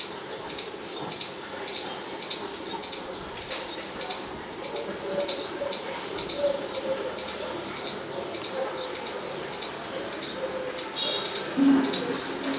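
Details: A squirrel in a forest gives sharp, high squeaks repeated in a steady series, about one or two each second.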